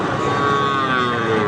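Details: Gir and Sahiwal bull calves for sale at Ambari livestock market, held Fridays and Mondays; one sustained, even moo with stacked harmonics drones through the short stretch over a constant murmur of market crowd noise.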